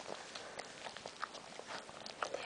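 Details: Newborn female Boston Terrier puppy, the first of a litter of five, just delivered indoors while its mother whelps calmly; two short, high squeaks about a second apart over soft rustling and handling noise.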